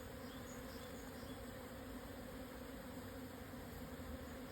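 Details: Japanese honey bees during a swarm on 17 June 2024 around 12:50, highland plateau at 1054 m below Yatsugatake, Yamanashi, Japan; a steady, humming buzz with a clear overtone, barely changing, and faint high chirps in the background.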